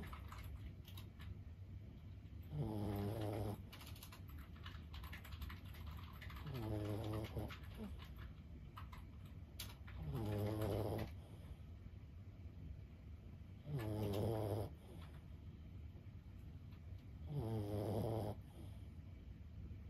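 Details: Sleeping 15-year-old Boston Terrier named Lulu snores steadily, five low, throaty breaths roughly every 3.5 seconds, each about a second long, while soft tapping like typing on a keyboard continues in the background.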